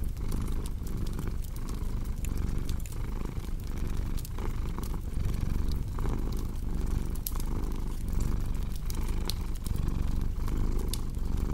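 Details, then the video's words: Low rhythmic rumble of a purring cat, pulsing evenly with its breathing, partly blended with a steady layer of crackling fireplace noise. "Purring Cat with Cozy Crackling Fireplace Sound"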